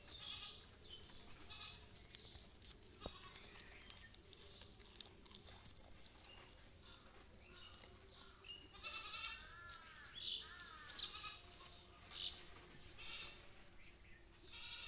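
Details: Goat giving a few faint, quavering, wavering bleats with rising and falling tones in the middle of the recording, over a steady high hiss and scattered clicks.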